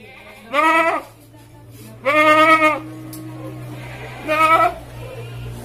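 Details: Goat brought for qurban sacrifice, crying out in three loud, vibrato bleats roughly two seconds apart, with a steady low hum in the background.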